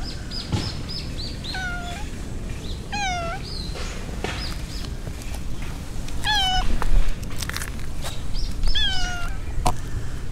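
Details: Stray silver tabby cat on a walk through a park in the middle of a city, meowing four times over ten seconds: drawn-out, slightly falling, harmonic-rich meows, with a low traffic rumble and faint high chirps in the background.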